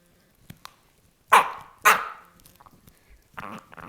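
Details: Jack Russell Terrier guarding a bone, letting out two loud, harsh, rasping bursts about half a second apart, then quieter grumbling noises and faint clicks.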